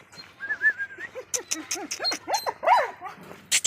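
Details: Female German Shepherd being delivered from Faisalabad to a home in Sargodha, Pakistan, giving a quick series of short, high, arched yelps and whimpers, some rising then falling, with a thin whine near the start and faint background noise.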